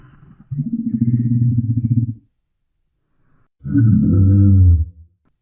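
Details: Rhinoceros giving two deep, harmonic roaring bellows, the first steady for about two seconds, the second lower and rougher after a short silence.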